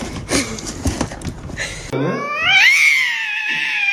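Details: A domestic cat in a funny cat compilation gives a loud, drawn-out yowl. It rises sharply, then wavers and slowly falls over two seconds, after a brief stretch of muffled room noise.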